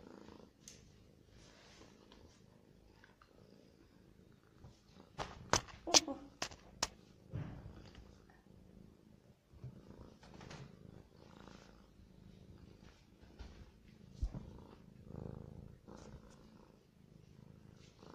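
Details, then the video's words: A hungry pet cat at its food keeps up a low continuous purr, overlaid by a burst of sharp clicks and crunching in the middle and quieter scattered tapping afterward. "صوت القطة وهي تأكل"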